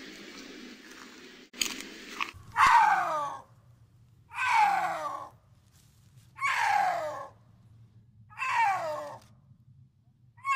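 A snow leopard gives four drawn-out, harsh, yowling moans about every two seconds, each sliding downward, over a low steady hum.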